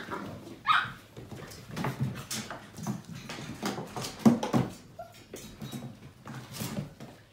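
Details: Seven-week-old Portuguese Water Dog puppies from a litter playing indoors: scattered short yips and whimpers, one higher squeal early on, amid scuffling and thumping in a small room.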